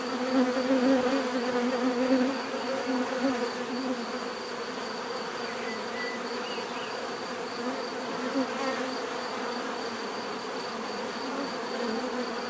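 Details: Bees giving a steady, dense buzzing drone with a low hum and several overlapping tones, swelling slightly in the first two seconds, plus a faint constant high whine throughout.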